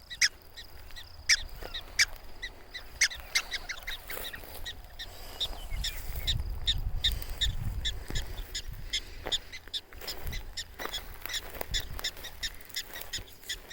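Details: Prairie dogs calling insistently in protest at nearby people, short sharp chirps repeated in quick bursts across the recording, with low wind rumble and faint voices beneath.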